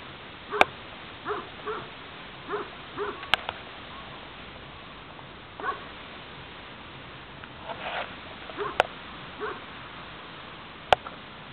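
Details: On a farm, a Spanish mastiff of the transhumance breed gives scattered short, curved whimpering yelps in small bursts, mixed with sharp clicks and knocks.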